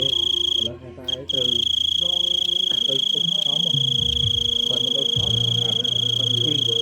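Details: Large cricket calling loudly: a steady piercing high-pitched whine, cut once early by a short pause, over a background of human voices.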